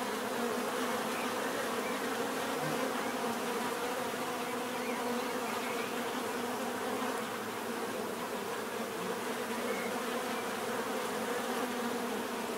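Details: Many bees give an unbroken, even buzzing hum that holds a constant level throughout, with no other clear sounds.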